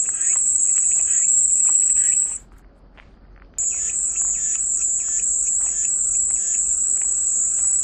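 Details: Cicadas in a steady, shrill high-pitched drone that cuts out abruptly for about a second before resuming, with softer pulsed chirping lower in pitch beneath it.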